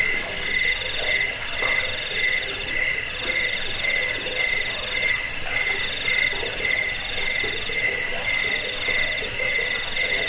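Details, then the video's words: Chirping crickets, offered to repel rats, help sleep and train songbirds; shrill layered trills with quick, slightly irregular pulses sound continuously, occasional softer lower clicks underneath. "Suara jangkik pengusir tikus pengantar tidur"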